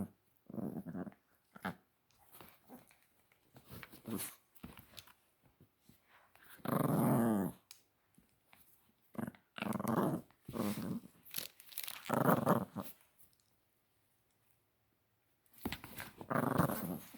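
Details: Chihuahua puppy playing indoors with new toys, giving scattered low growls and short yips in separate bursts, with the loudest burst about midway, amid pauses and brief human talk.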